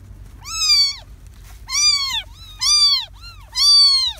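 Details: Young kittens born to a stray cat in a garden, three in the litter, healthy and moving well; four loud, high, arched meows, each about half a second long, come at roughly one-second intervals with near silence between.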